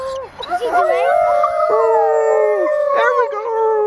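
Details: Captive female arctic wolf at a wildlife park in Orono, Ontario, recorded on February 6, 2011, howling while visitors try to prompt her; long, steady, slightly wavering tones layered with other voices, sliding down at the ends.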